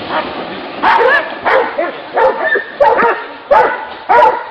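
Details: Hunting dogs baying at a wild boar, distinct loud barks and yelps spaced roughly every half second to second over a low background of other dogs.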